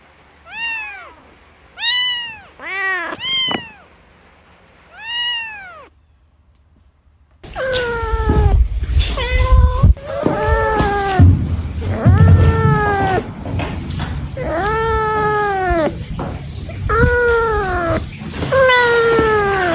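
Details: Cats meowing in a bamboo tree while looking for food and drink: a run of arched, harmonic-rich meows, a quick cluster early on, then after a short silence louder overlapping meows over a low rumbling background.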